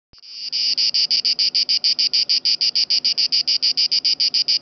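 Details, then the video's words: Italian cicada singing at Lake Garda (Gardasee), a loud, steady pulsing buzz of evenly spaced rasping bursts, about three to four per second, starting abruptly and running without pause. "Italian cicada in (gardasee)"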